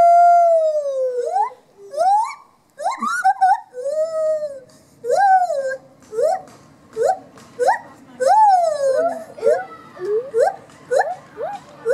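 A gibbon sings loud, pure whooping notes that swoop up and down in a quickening series.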